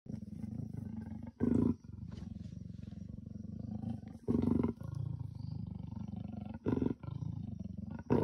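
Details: Wild male and female leopards mating in the bush, heard not far away; loud harsh growling rasps burst out about every two and a half seconds, with a lower continuous rumbling grumble between them.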